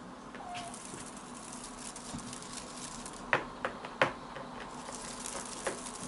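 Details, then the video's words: Ronnie, a blue British Shorthair kitten, female, eight months old and born 6 July 2020, chattering and chirping indoors: soft scattered clicks with a few short, sharp chirps standing out in a quiet room. "British Shorthair Blue Kitten Ronnie Chattering"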